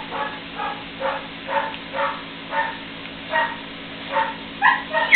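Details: Puppies aged three weeks, playing together for the first time, give a run of soft, nasal squeals about every half second, ending in a few higher, sharper yelps.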